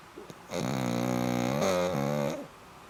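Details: Black pug snoring: one long, loud, rasping snore about two seconds long, harmonic and buzzy, rising slightly in the middle before fading in a quiet room.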